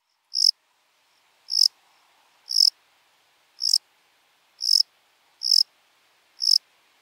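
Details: At Breitenbrunn, Austria, on 23 May 2021, a lesser field-cricket gives seven clean, piercing high chirps, each brief and evenly spaced about one second apart, against a silent background.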